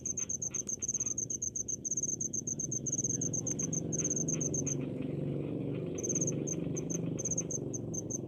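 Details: Cricket in village rice fields in Indonesia. Rapid high chirp bursts fill the first half, then fall silent for about a second before resuming more sparsely. Rumbling low-pitched background noise grows in the second half.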